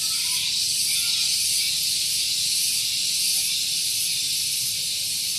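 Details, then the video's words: Loud cicadas at Gunung Geulis in Bogor, West Java, on a morning beside a parking area: a steady, piercing high hiss that holds at the same intensity throughout, with almost nothing else audible. "Santuy Pagi Ditemani Suara Tonggeret"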